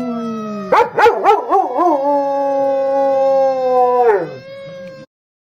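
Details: A female German Shepherd howls in response to a siren sound, opening with wavering yelps before settling into a long, steady, clear tone.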